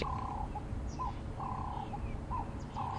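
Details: A squirrel in a tree across a dam alarm-calls at watching lions, warning of danger, with short, mid-pitched chucking notes in uneven bursts about every half second, over a low rumble of wind or engine.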